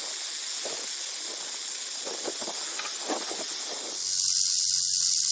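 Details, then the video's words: Rattlesnake rattle as a harsh, hiss-like buzz with faint crackles below for four seconds, then switching abruptly to a thinner, louder, purer high buzz with a low hum. "Rattlesnake Rattle Sound"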